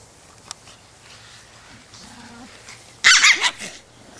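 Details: Chihuahua at a doggy play date, giving a short burst of high, sharp yappy barks about three seconds in after near silence; faint rustling before.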